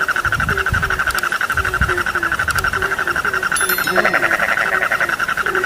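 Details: Frog chorus with evenly spaced low croaks repeating under a continuous buzzy pulsed trill, a few soft low thumps near the start and a faint high ticking.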